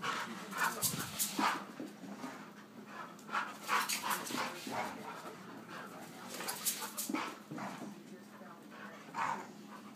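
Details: Pet male German Shorthaired Pointer busy with his toy. Irregular breathy huffs and snorts come in quick uneven bursts, several per second, then pause. A faint steady hum sits in the background.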